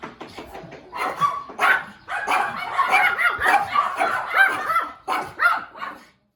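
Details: A cute puppy barking: quick series of high, sharp yapping barks packed closely together over about five seconds, with brief pauses and a few faint murmurs in the background.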